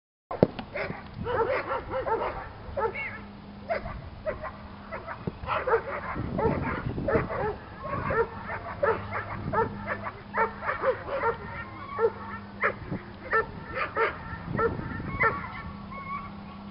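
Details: A Doberman in a club on the protection training field for the first time, barking in a steady run of sharp, short barks about twice a second, with a low steady hum and a few faint voices underneath.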